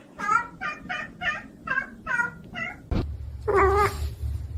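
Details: A house cat gives seven short, evenly spaced mews in quick succession, about two per second, then a sharp knock and one longer, fuller meow over a low background hum.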